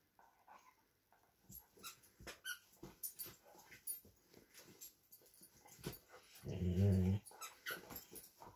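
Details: A Vizsla and a Doberman playing indoors over a new toy, each wanting it for himself; scuffling and panting sounds, then a short low rumbling growl lasting about a second.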